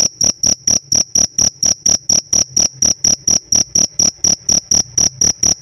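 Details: Kept cricket chirping: bright high-pitched pulses, slightly longer and spaced a little wider than usual, about three per second in a steady, even rhythm against a quiet background.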